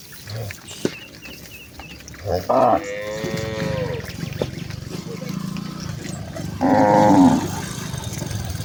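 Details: Village cattle herd, mother cows with calves, walking home to the farm barn: two drawn-out moos, one long and wavering in the middle, a shorter louder one near the end, over a steady rumble of outdoor noise.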